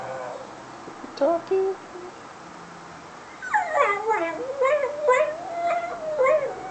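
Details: Foster whippet home alone while its carer is out shopping: a few soft whimpers, then a long plaintive howl that dips and rises, broken by repeated yipping accents.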